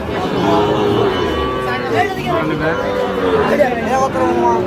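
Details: Sahiwal bulls on sale to a Tangail farmer in Bangladesh, 9 May 2025; a stretched, wavering moo bends upward and downward throughout, with brief human chatter behind it.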